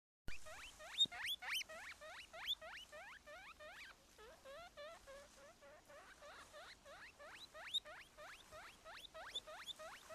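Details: Baby guinea pig squeaking at its mother: a fast, continuous series of short, sharply rising squeaks, several per second, sometimes uneven and doubled, with faint patter beneath.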